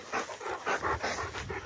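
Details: Two Rottweilers coming down a tower, panting in rough, breathy bursts, about two per second, each a broad hiss of air with no clear tone.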